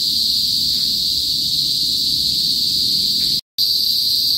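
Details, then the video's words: Kuliglig, Philippine cicadas, in a northern province of the Philippines, usually heard before sunset: a steady, piercing high-pitched drone, constant in level, cut by a brief silent gap near the end. "TUNOG NG KULIGLIG SA PROBINSIYA | PHILIPPINES CICADAS NOISE"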